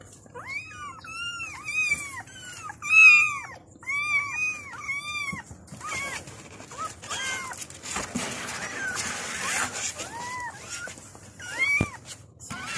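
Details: Kittens calling for their mother: a rapid run of high, arched meows in quick succession, then scattered thinner mews over a hissing, rustling background.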